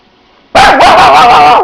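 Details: Pet dog gives a single long, drawn-out tonal bark lasting about a second, a steady mid-pitched note with a slight wobble that starts abruptly out of a quiet room.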